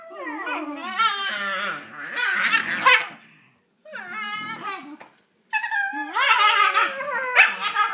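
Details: Shiba Inu puppies fighting over a toy while playing, giving high harmonic whines and yelps that waver and rise in pitch, in bursts separated by brief pauses, with scuffling noise underneath.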